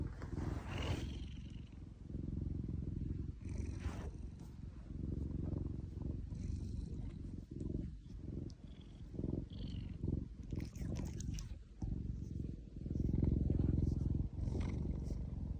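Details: Cat being petted on its paw, giving a low, rolling purr that rises and falls with each breath, mixed with soft rubbing and handling noises.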